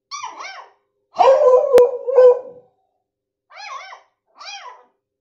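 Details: A month-old beagle puppy barks at its father: two short high yaps, then a louder, longer rough bark with a sharp click, followed by two more thin, arched yips.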